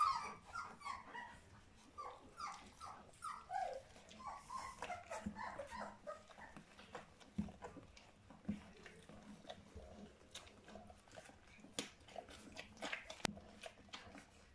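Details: Young puppies, three weeks old, of Charlotte and Magic, giving a steady series of downward-sliding whines about every half second for the first few seconds, then scattered fainter squeaks among clicks and handling noises indoors.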